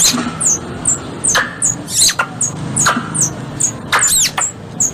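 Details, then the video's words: Squirrel sounds for luring squirrels during hunting in Indonesia: thin, high squeaks that drop quickly in pitch, repeated irregularly about every half second, mixed with dry clicking bursts and a faint low drone. "Suara Tupai 3 In One Terbaru Sebagai Penyempurna Suara Pancingan Tupai"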